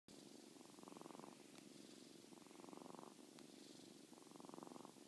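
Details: Molly, a 7-week-old kitten, snores while sleeping soundly; three soft, breathy, purring-textured bursts come about every two seconds, with quiet gaps between them in a calm indoor setting.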